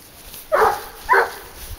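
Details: Two emphatic barks about half a second apart from Garuo, a young dog of 22 months hunting wild boar on a leash, against a quiet background.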